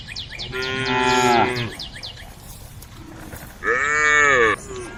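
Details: Roaming cows at a forest-edge road call the herd with two strong, harmonic moos about two seconds apart, the first longer and falling at the end, with busy high chirping running throughout.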